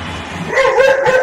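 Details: A dog squaring up to a cat over food, backed by a friend it fetched, gives a short, tonal, whining bark that rises and holds, over a low background rumble.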